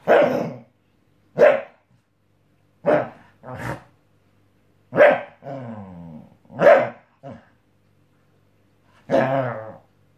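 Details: Obama, a pet Scottish Terrier, barks while testing a new mattress indoors. Seven sharp, gruff single barks come at uneven gaps of one to two seconds, and a short warbling growl-like moan falls between them.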